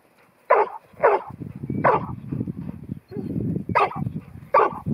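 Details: Ruby, a young female New Zealand Huntaway aged 10 months, sale Lot 121 at Skipton, barks in single loud bursts separated by rustling, shuffling background noise.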